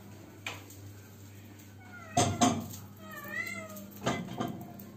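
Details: Cat that cannot find a mate, calling indoors: one drawn-out meow with a wavering, bending pitch, set among knocks and clattering sounds like a cupboard or dishes, with a steady low hum underneath.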